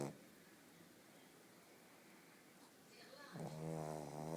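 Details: Pug named Bóris snoring while asleep indoors: after a quiet, noisy start, a loud, droning, buzzy snore rises in the final second, rich in low rasping tones.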